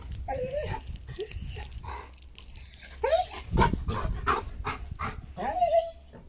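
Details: Excited Golden Retriever about to go for a walk, giving repeated high whines and yelps: a falling whine, a sharp rising squeak, then a longer wavering whine, with short pauses and shuffling in between.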